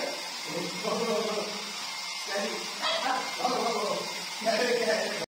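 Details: Stan, a pug puppy, playing with a hair dryer, gives several short bursts of harmonic yapping and whining against a steady blowing hiss from the appliance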